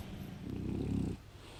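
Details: Pet French Bulldog giving a single low, throaty snore lasting under a second, a rattling rumble that swells and cuts off, followed by quiet breathing.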